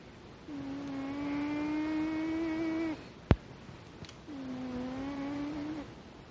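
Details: Kitten snoring with a strongly quirky rhythm: two long, steady, humming tones with a buzzy edge, each lasting about two and a half seconds, separated by a pause with a single sharp click.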